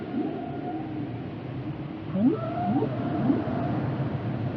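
Whale song with short upward-sweeping moans, three or four in quick succession, rising from low to mid pitch. A steady deep underwater rumble fills the background throughout.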